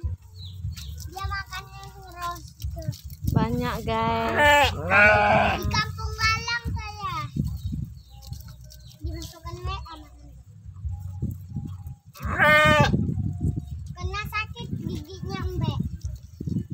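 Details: Sheep being fed in Galang village, bleating in loud, wavering, harmonic-rich cries around the fifth and thirteenth seconds, amid people talking close by and low rumbling background noise.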